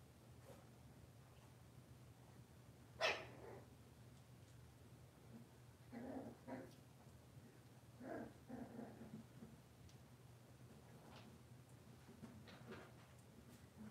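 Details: Cavalier King Charles Spaniel dogs indoors on a kitchen camera, a cloudy Monday morning, with moms and puppies present: one sharp bark near the start, then several short, soft yips and whines over a steady low hum.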